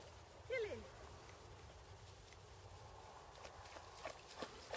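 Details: A female German Pinscher, being lured into water and refusing to get her belly wet, gives one short whine that wavers and then slides downward. Faint outdoor clicks and patter follow in quiet surroundings.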